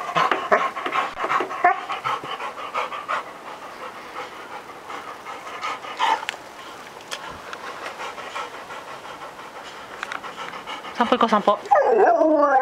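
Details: Labrador Retriever, a male pet dog, vocalizing to his owner to ask for a walk: rhythmic panting bursts with tonal, wavering moans, building near the end into a drawn-out rising and falling howl.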